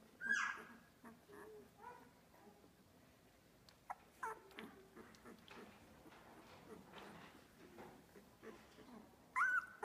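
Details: Australian Labradoodle puppies, two weeks old, in a litter; a high, sharp squeal opens, faint murmuring whines and shuffling follow, and another piercing squeal closes the passage.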